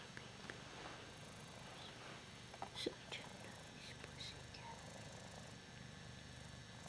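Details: Hoss, a loveable Ragdoll cat, purring while being adored and chin-scratched indoors; a soft, steady, low rumbling purr runs throughout, with a few faint clicks and quiet human voices nearby.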